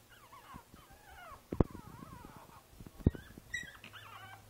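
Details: Princess Izzy, a five-week-old Boston Terrier puppy in a basket, recorded 12/4/2011, gives wavering, harmonic whines that rise and fall over several seconds, broken by two sharp clicks or knocks.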